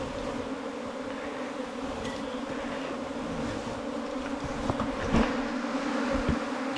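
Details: Honey bees at a nest inside a 4-metre-long bamboo stem, giving a steady, even droning hum with two low tones that hold throughout, plus a few soft knocks and thumps near the end.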